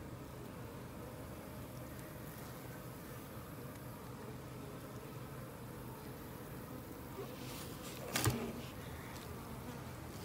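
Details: Worker honey bees emerging: continuous low droning hum with steady tone throughout, and a brief louder buzz as a bee passes close near the end.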